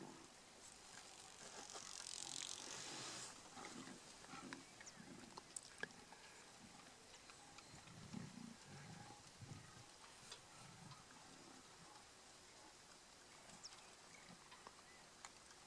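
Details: Lions of a mega pride in Kruger National Park squabbling over a buffalo kill: low rumbling growls and snarls come in bursts, loudest around the middle, over a hissy outdoor background with occasional clicks.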